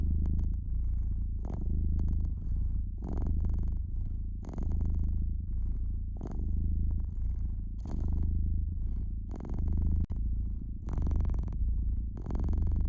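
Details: Cat resting by a fireplace, purring in a low, even rumble that pulses gently with its breathing across the whole stretch, mixed with frequent snaps and crackles of the fire.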